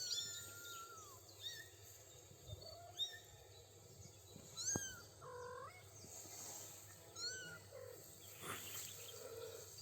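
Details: Three-week-old kittens with their mother outdoors on grass with daisies: thin high meows, some sliding downward, several mews scattered across the clip, with birds chirping in the background.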